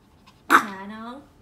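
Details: Pomeranian or Yorkshire Terrier at home after a play session ends: one sharp yelp that slides into a short, falling, whiny tone lasting under a second, in a small quiet room.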